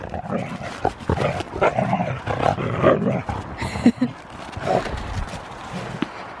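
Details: Huskies play-wrestling, rough but not fighting: continuous throaty growls and grumbling snarls, noisy and low, rising and falling in bursts with scuffling through the struggle.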